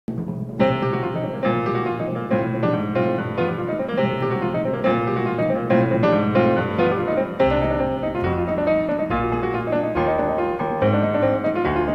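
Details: Steady piano music plays throughout, with no animal sounds.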